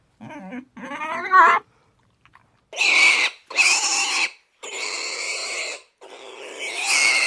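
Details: Pig squealing: a couple of short, tonal, wavering squeaks first, then after a pause four loud, harsh, shrill squeals, each about a second long, separated by short silences.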